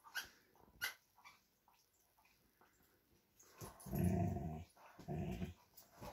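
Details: A Vizsla and a Doberman playing over a new toy, each wanting it for himself; light scuffles and clicks, then two low, rumbling play growls, the first longer, the second shorter, a second apart.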